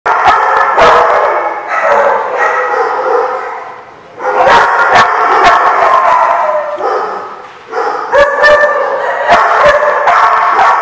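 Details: Dogs barking on 10/5/15, loud overlapping howling and yipping from several dogs in long sustained stretches, broken by sharp clicks and brief drops in level.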